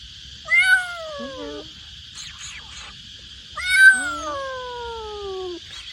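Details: Young stray street kitten, scared and waiting to be rescued after its mother was hit by a truck, meowing loudly: two long, falling, plaintive meows about three seconds apart over a steady high-pitched background tone and faint sounds.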